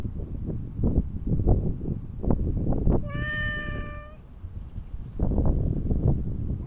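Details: Outdoor park cat checked on after Typhoon No. 6 passed, 3 August 2023: crunching footsteps and rustling, then a single long, steady, clear meow of about one second, followed by more crunching steps.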